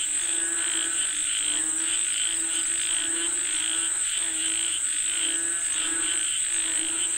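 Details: Frog chorus calling for rain: overlapping buzzy croaks swell and fade roughly every second, layered over an unbroken high insect hum.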